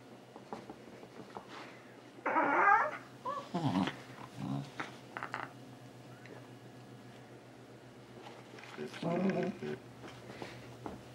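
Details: Nearly two-year-old Shiba Inu male named Lego chases socks indoors, giving short harsh grumbling yowls in a few bursts, with a person talking in between.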